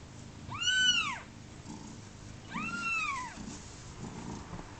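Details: Kitten on its second day of life, about thirty hours old; two clear, high, arching mews with bright harmonics, one after another, over soft low background rustling.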